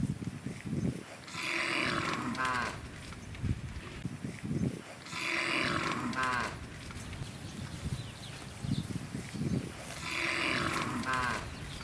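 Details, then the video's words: A herd of tame cows in rice fields searching for food; three similar breathy, nasal moos spaced about four seconds apart, fairly distant, over constant rustling and background hiss. "Hundreds of large, tame cows are gathered in the rice fields looking for food with the sound of cows"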